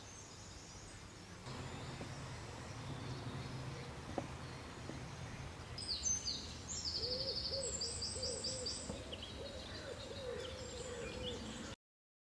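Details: Common toads (Bufo bufo) give soft, low, quick croaking notes in short runs, with high bird chirps above, during a toad migration in June 2011 at Domaine des Silex, Brussels, Belgium.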